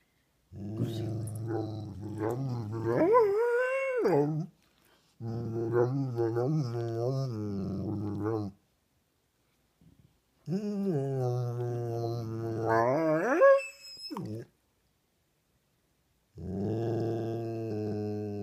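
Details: Pet dog growling indoors in long harmonic bouts with rising, whining pitch swings, several drawn-out growls separated by short pauses, climbing into higher yelping tones near the ends.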